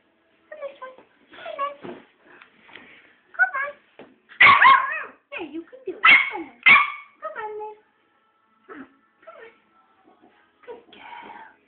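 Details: A female West Highland White Terrier puppy, frightened of climbing down and telling her owner off for not carrying her, lets out a run of whines, grumbling yelps and a few sharp louder cries amid coaxing speech.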